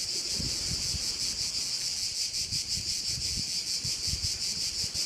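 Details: Korčula crickets, Croatia, beside a bay: intense high trilling in fast rhythmic pulses, nearly three each second, accompanied by low rustling wind noise.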